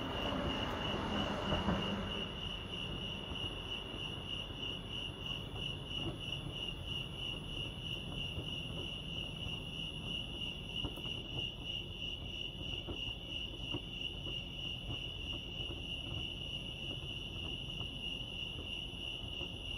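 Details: Crickets chirping at Lake Arrowhead, California: a steady high pulsing trill, rapid even beats running throughout, over a low rumbling background with a brief louder broadband rush near the start.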